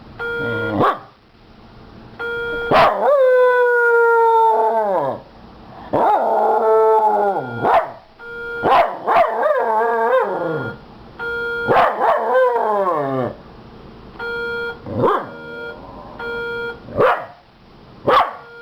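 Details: Barking at the fire alarm, Hobie the Miniature Schnauzer lets out a sustained falling howl, then choppy runs of yips and howl-barks, with short single barks near the end against the alarm's repeated electronic beeping.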